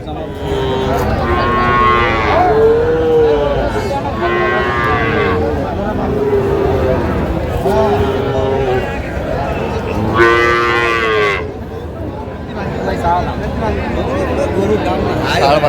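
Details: Young Sahiwal bull and heifer calves at a cattle market in Jamalpur, Bangladesh, on 14 June 2025. Drawn-out harmonic moos rise and fall three times, spaced several seconds apart, over steady crowd murmur and men talking.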